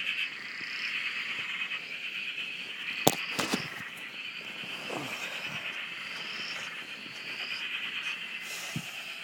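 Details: Frog chorus recorded from a shack beside a dam in Australia: dense, continuous pulsing trills massed in a steady band, with higher rising calls above and a few sharp clicks and knocks near the start.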